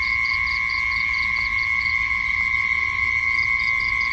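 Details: Insect sounds at night, with a steady ringing buzz beneath bursts of sharp, evenly spaced chirps about four per second that break off midway and then start again.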